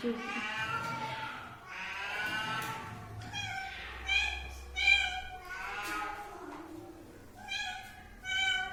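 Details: Domestic cat meowing repeatedly, about once every second or two: bright, nasal, slightly wavering cries, a few short and sharp, others longer and sliding down; low human speech murmurs faintly underneath.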